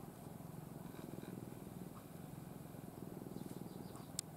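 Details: Pet cat Ai, adopted from a stray family, sleeps nestled in its owner's arms; a quiet, continuous low rumble with fine rapid pulsing, like purring, fills the recording, plus a brief sharp click near the end.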